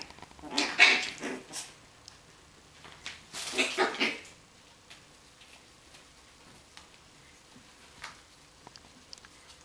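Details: Playing Coton de Tulear dog giving two short bursts of high yelping squeaks, around one and four seconds, then quiet room with faint knocks.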